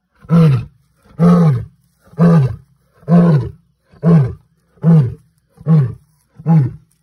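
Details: A male lion of the N'waswishaka coalition roars out of the darkness while on territorial patrol: eight deep, grunting roar pulses, about one per second, each booming then fading, with silence between.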